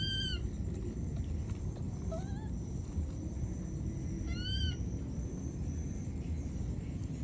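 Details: Wild baby monkey, lost and calling for its mother, gives three brief high whistled cries, each arching up then down, spaced about two seconds apart, with a continuous low rumble underneath.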